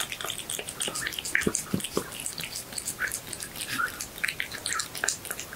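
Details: Cat chewing horse meat, recorded up close for ASMR: moist smacking and soft clicking bites, uneven and dripping in texture, repeated rapidly with brief pauses, quiet room background.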